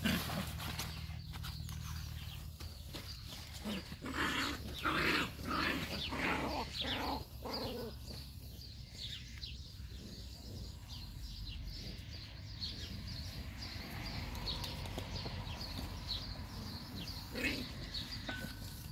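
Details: Seven Labrador Retriever puppies in a litter: rapid, irregular short grunts, squeaks and yelps, about ninety bursts a minute, some with a growling low edge, over constant rustling and movement noise.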